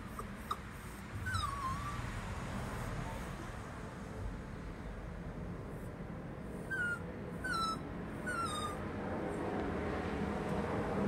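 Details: A frightened male Chihuahua, scared of the neighbour's dog, gives one drawn-out whine that drops in pitch, then after a pause three short descending whimpers close together, all over constant hissing background noise.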